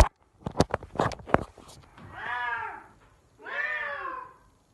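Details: F4 Silver Savannah male cat named Sittingpretty Solmonath calling indoors: two drawn-out arched harmonic cries, rising then falling, after a burst of sharp knocks and thumps.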